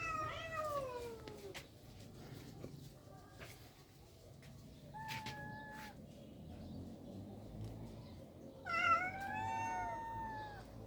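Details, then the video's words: Cats in rural life: a long falling meow opens, then quieter gaps with faint knocks, a short meow midway, and a bright rising-falling meow near the end over low background hum. "The sounds of cats in rural life are beautiful"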